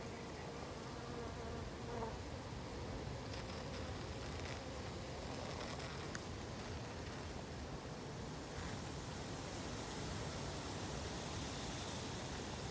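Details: Hungry honey bees make a continuous low droning buzz, a thick mass of overlapping wingbeat sound that holds level from start to end, with a few faint clicks mixed in.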